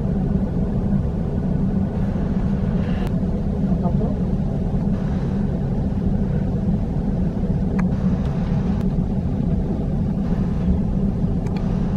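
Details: Steady low engine rumble with a few faint clicks and knocks, and no animal voice.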